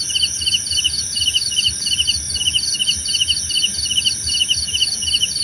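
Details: Cricket chirping for relaxation and sleep: rapid high pulsed chirps in short bursts, several overlapping callers, steady shrill insect drone above, faint low rumble beneath.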